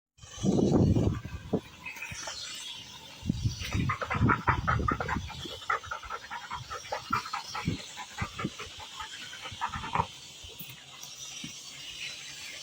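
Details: Dachshund panting in quick, huffing breaths, roughly three per second and somewhat uneven, after an opening low, louder breathy sound. The panting fades slightly toward the end over faint background noise.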